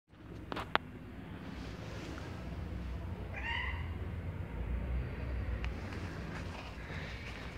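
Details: Hungry white stray cat being given food at a hotel apartment building; one clear, harmonic meow midway through, rising then falling, over a steady low hum.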